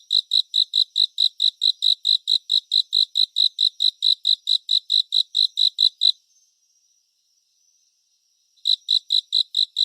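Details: Crisp, regular cricket chirps, roughly five per second, continue for six seconds, give way to a pause of over two seconds, then return; surround-sound nature recording meant for relaxing, with nothing else audible.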